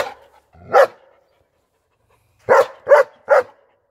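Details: A German Shepherd gives one deep bark, falls silent for over a second, then fires off three rapid barks close together.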